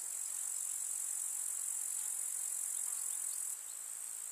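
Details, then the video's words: Summer meadow grasshoppers in the countryside keep up an unbroken, sizzling high-pitched stridulation, with a slight dip in level just before the end. "КУЗНЕЧИКИ. Слушать звуки летнего луга"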